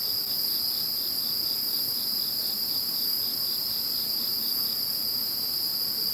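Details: Chorus of insects heard once Typhoon No. 21 had gone: continuous high-pitched ringing trills layered at several pitches, even in loudness throughout, with faint rapid pulsing beneath the main tone and nothing else audible.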